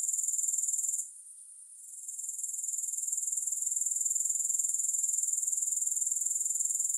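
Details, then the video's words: Grasshoppers trilling in a fast, regular, very high-pitched pulse; the sound dips away for under a second, then swells back into a continuous shimmering buzz. "Grass Hopper Sounds"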